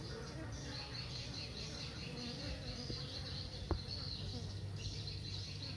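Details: Honey bees going in and out of their hive while foraging: a steady, dense droning hum with a high hissing band above it and one sharp click partway through.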